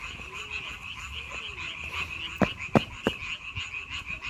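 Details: Frogs calling in May: a steady, high-pitched chorus of rapid pulsed croaks runs throughout, broken by three sharp loud knocks near the middle and a few faint low sounds underneath.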